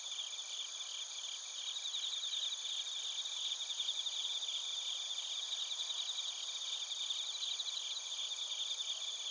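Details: Crickets and bell crickets in Narita, Chiba, Japan, captured on a TASCAM Portacapture X8, fill the air with continuous shrill ringing tones, overlapping pulsed trills rising and fading in the chorus, nothing else audible.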